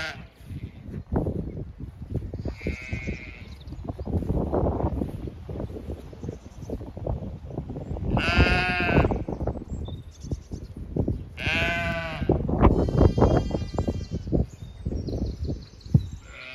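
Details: Zwartbles sheep on a regenerative farm in County Kilkenny, Ireland, bleating loudly in the field while a ewe or lamb is missing; several long wavering bleats spread through the clip, with a woman speaking and low rumbling background noise.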